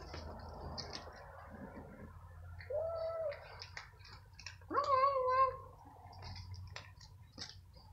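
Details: Stray cats outdoors at night, fighting over food as a smaller hungry gray newcomer is attacked by another cat; two clear tonal cat cries, one short near three seconds and a louder rising wail near five seconds, amid clicks and crunching.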